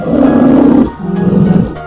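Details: Polar bear giving a deep, rasping growl, then a second lower, quieter rumbling growl, with soft background music underneath.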